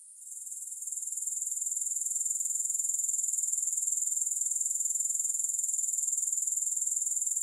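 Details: Grasshoppers heard without music, their sharp high-pitched buzzing trill fading in over the first second, then holding as a steady stream of quick, regular pulses.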